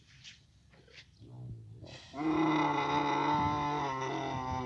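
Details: Camel in Abu Dhabi during the mating season. After two seconds of faint low grunts, a loud, harmonically rich, steady bellow begins and holds unbroken for over two seconds until the end.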